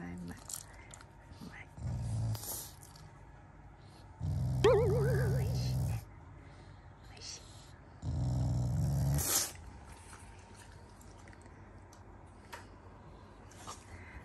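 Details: Shiba Inu, a loving family pet, growling indoors as a show of affection rather than anger around mealtime: low rumbling growls in bursts of one to two seconds, three main bouts, with a person talking softly between them.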